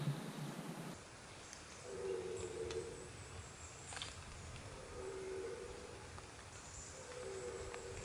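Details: On a misty September morning on the Veluwe, Netherlands, red deer stags roar in the rut in the distance, deep drawn-out bellows across open country, while a wild boar forages on a field nearer by.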